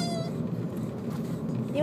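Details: An 11-week-old female Miniature Pinscher puppy cries after leaving the dog park, continuing on the car ride home: a brief, high, fading whine, then a thin upward-sliding whimper over a steady low rumble.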